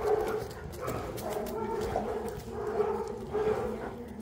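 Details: A Boerboel in Egypt, from the pair Enzo and Diva, makes a wavering, moaning whine with short yips. The voice swells and dips repeatedly over a few seconds against a soft background.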